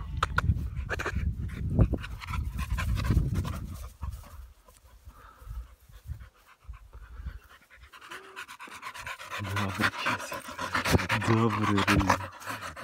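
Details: Cheerful Amstaff out for a run beside a river, breathing in fast, noisy pants over heavy low rumble from wind and movement, with a brief tonal whine near the end.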